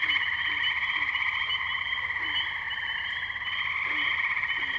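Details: Tree frogs at the wetlands of Firestone Park, Columbiana, Ohio, on May 6, 2023, captured with a Zoom H2n: a dense, unbroken chorus of overlapping high trills, with a few short low croaks scattered beneath.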